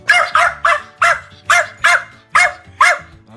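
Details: Jack Russell Terrier on a day out, giving a quick run of eight sharp, harmonic-rich barks spaced about 0.4 seconds apart.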